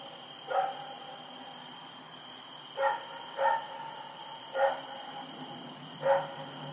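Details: Rex, a dog roaming at night, recorded Oct 7, 2018: single distant barks spaced one to two seconds apart, some in pairs, over a steady high-pitched hum.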